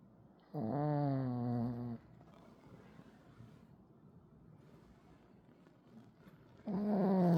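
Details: Pekingese dog snoring: a loud, drawn-out, throaty snore lasting about one and a half seconds, a quiet pause of breathing, then a second snore starting near the end.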